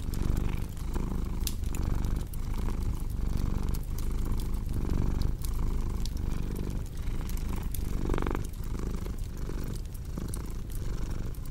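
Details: Cat purring in a deep, even rumble with regular breath pulses, a crackling fire popping over it and a short whooshing swell midway.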